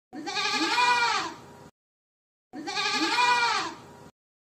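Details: Boer goat kept for goat farming, giving two long, wavering, nasal bleats of about one and a half seconds each, separated by a short silence, with no other sounds.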